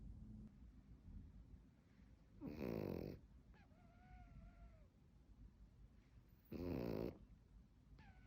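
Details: Pekingese dog sneezing: two short, sharp, noisy bursts about four seconds apart, with a faint wavering whine between them over a low background rumble.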